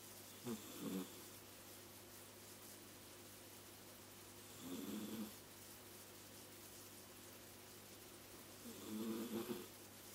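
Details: Domestic cat snoring while asleep indoors, three soft breathy snores spaced roughly four seconds apart, each a brief low rasp, with a quiet steady hum in the background.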